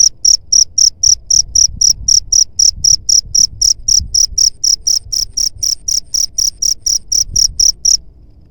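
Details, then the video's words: Cricket sound offered for driving away rat pests: shrill, high chirps repeated about four times a second in a steady train, ending abruptly near the close, with a faint low rumble beneath. "SUARA JANGKRIK PENGUSIR HAMA TIKUS"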